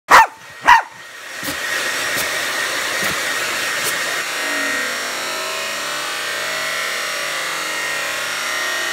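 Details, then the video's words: A dog barking at a hair dryer gives two loud, slowed-down barks, followed by the steady roar of the hair dryer. "Dog barking at hair dryer in slow motion"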